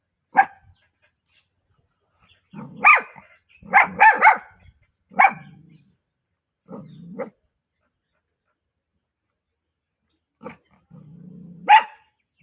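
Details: Female Pomeranian puppy barking: short sharp yaps, singly and in quick clusters of two or three, separated by quiet gaps and a few soft low whines, across about twelve seconds.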